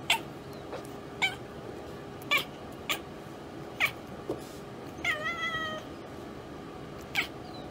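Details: Domestic cat chattering at a bird or insect it has spotted but cannot reach: sharp, dry clicks spaced roughly a second apart, with one brief stuttering, harmonic chirp in the middle, over a steady low room hum.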